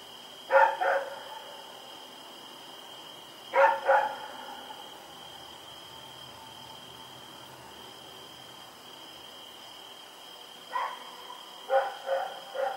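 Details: Rex the dog barking while running around in the night, recorded Oct 7, 2018: scattered pairs and short bursts of barks separated by long quiet gaps, with a constant high whine in the background.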